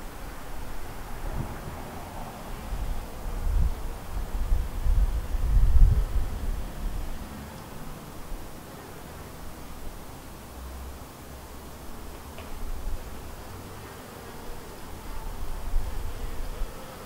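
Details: Buzzing of honey bees at their white hive, a split from a yellow hive, with a deep, swelling low drone that rises and falls in loudness, strongest midway, over soft rustling noise.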